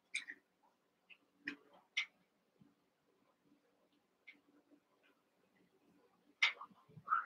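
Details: Young Cavalier King Charles Spaniel puppies, eight together in an indoor pen, wrestling and playing: short high yips and squeaks scattered among soft grunts, snuffles and scuffling thumps, with quiet gaps between bursts.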